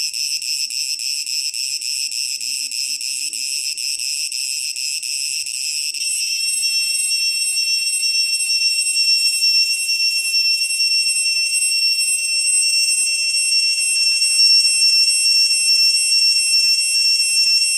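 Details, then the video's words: At Ta Prohm temple in Cambodia, an Asian cicada sings a shrill, continuous buzz that shifts into a piercing, siren-like electronic whine. "The Soothing Song of the Asian Cicada (wait for it...)"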